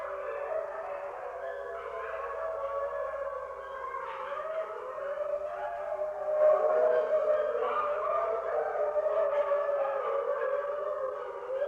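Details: Several wolves howling together in a dense, overlapping chorus of long, wavering, mid-pitched tones that slide up and down and swell in loudness near the middle; no other sounds stand out.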